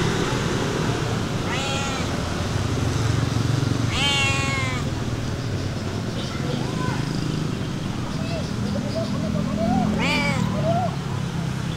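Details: Stray cats being fed outdoors, several harmonic meows with rising-falling arches at about 1.5, 4 and 10 seconds, plus softer mews between, over steady traffic rumble and some speech.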